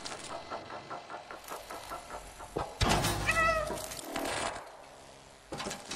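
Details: Cat meowing once, a brief tonal cry rising then falling in the middle, surrounded by repeated knocking and clattering sounds.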